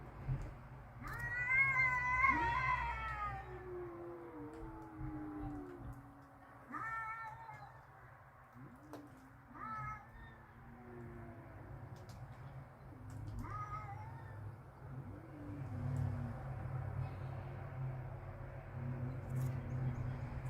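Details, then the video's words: Two domestic cats outdoors in a backyard, angry and ready to fight, trading drawn-out wailing yowls with rich harmonics, some rising then sliding down, others low moaning growls, with pauses between outbursts and steady low background hum. "They are ready to fight. Cats making baby sounds."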